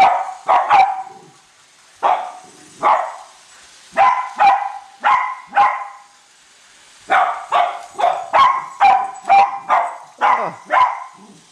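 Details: Indoors at Christmas, two Cavalier King Charles Spaniels, Colby and Shelby, chase a new train around the tree, barking in dense, insistent volleys of high, bright barks with brief pauses between runs.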